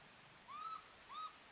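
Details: Young monkey left alone by its mother calls for her: two clear, whistled coos, each rising then levelling off and lasting about a quarter second, half a second apart, over a steady background hiss.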